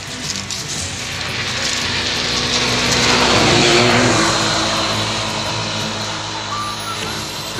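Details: A broad roaring rush like a passing engine or aircraft swells and fades, with a faint background voice.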